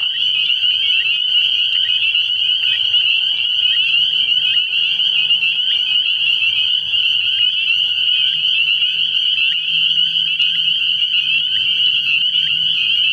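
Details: Spring peepers calling at night at a frog pond early in the year, a dense chorus of high, shrill peeps merging into one unbroken ringing band, with faint low hum beneath.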